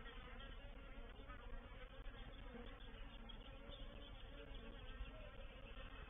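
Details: Reproductive swarm of honey bees moving into a bait hive, or swarm trap, at Painted Peacock Manor on 04/07/21; a dense, unbroken droning hum of many wings, steady in loudness throughout with no pauses or distinct calls.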